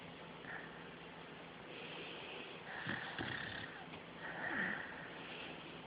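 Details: Sleeping male beagle kept as a pet, caught mid-dream. Soft, airy snores are mixed with small squeaky falling sounds around the third and fifth seconds, against a steady low hum.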